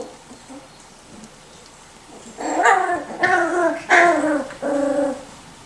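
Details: Miniature Schnauzer puppies from the Custards and Puddings litters, aged 4 and 6 weeks, give four short, high, harmonic yelps in quick succession after a quiet start, each rising slightly then falling.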